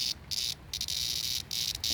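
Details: A cicada (jarfly) held in hand in the Appalachian mountains in summer gives loud, harsh, high buzzing bursts broken by short gaps; jarflies emerge around June and fade by September.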